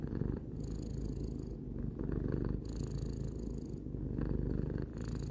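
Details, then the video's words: Low steady purring by Tarou, a cat three years old, a throaty vibrating hum that surges and softens in breathing cycles of roughly two seconds. "Cat purring"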